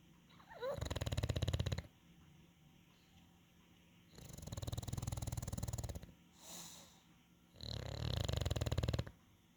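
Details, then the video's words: Relaxed English Bulldog snoring in three rough, fluttering bursts, each over a second long, with a faint squeaky whine at the start and a short soft breath between the second and third bursts. "English bulldog Bacon the sounds of calm"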